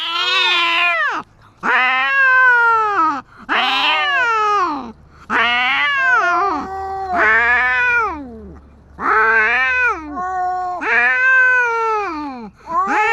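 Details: Stray tabby cat fighting a large white cat, a run of about eight loud harsh yowls, each wavering then sliding downward, separated by short gaps, tense and continuous.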